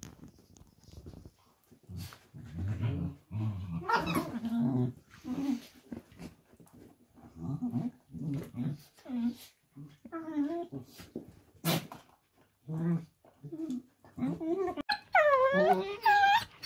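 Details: Pet Dachshunds in rough and tumble play, talking to each other: a run of short low grunting growls and snorts, then rising whiny yelps and a wavering high whine near the end, indoors.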